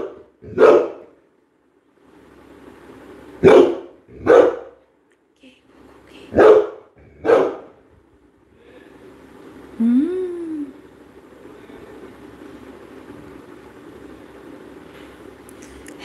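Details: Labrador Retriever Coco barking in a short series of five sharp barks, followed by a brief rising whine and a quiet murmur of voices and background noise.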